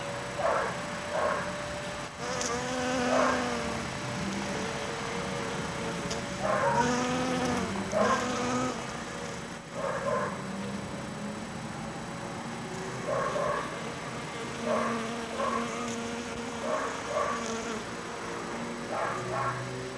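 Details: A bee visiting blooming New York asters in a backyard garden in autumn, with the air already cold: a steady, droning hum runs throughout, with scattered short chirpy sounds rising and falling across it.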